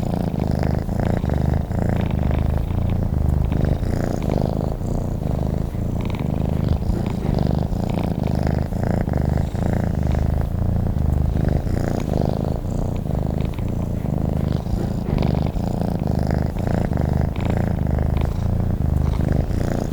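A domestic cat purrs steadily, a low rumbling vibration that rises and falls with each breath.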